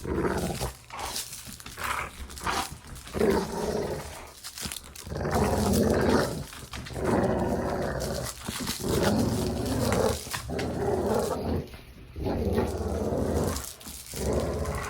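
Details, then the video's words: Playful dog growling: low, throaty, grumbling bursts rising and falling in loudness, arriving in an uneven series with brief gaps, in a small indoor room. "Dog Play Growling"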